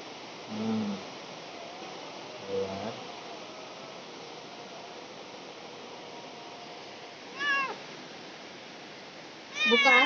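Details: Cat in labour at home: two faint low murmurs early, then after a long hush two wavering meows, the last louder and quivering, with soft talking in the room.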